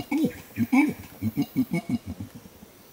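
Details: An adult male Bornean orangutan at Tuanan Research Station, Central Kalimantan, Indonesia, gives a fast long call of rhythmic, throaty pulses at observers standing too close, warning them off.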